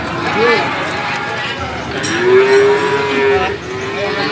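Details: Young male cattle at the Gorang Gareng market, Magetan, East Java, Indonesia, 24 February 2019: a brief moo, then a longer sustained lowing call lasting about a second, with people talking nearby.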